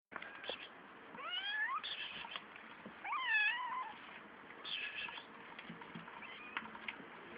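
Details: Kittens three weeks old, five in the litter, two males and three females, give thin high mews that rise then fall, a few in quick bursts over steady background hiss.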